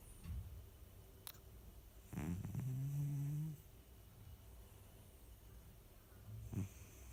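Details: Domestic cat Baksik snoring in sleep: a soft, low snore with a faintly whistling hum lasting over a second, bracketed by quieter breaths and light ticks in a still room.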